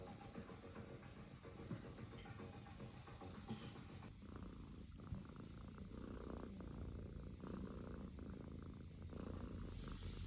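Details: A sleeping British Shorthair kitten makes a soft, steady low rumble of purring or snoring. The sound is continuous and even for about ten seconds, with no breaks and only faint background hiss.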